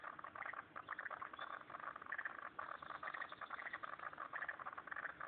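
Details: Pond frogs in Turner, ACT, massed in a steady chorus of fast, crackling pulses that rise and fall in loudness, with a few brief higher tones standing out above the throbbing mid-pitched clatter.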